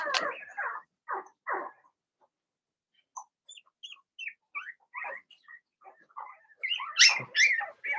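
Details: Blenheim Cavalier King Charles Spaniel puppies from a litter of six in a home puppy pen, giving short high yips and squeaky whines in scattered bursts, with quiet gaps between them and a louder cluster of yelps at the end.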